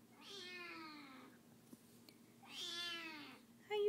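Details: Kitten crying after being sick, wanting to be held: two drawn-out meows, each rising then sliding downward, spaced about two seconds apart, with a person's voice starting at the end.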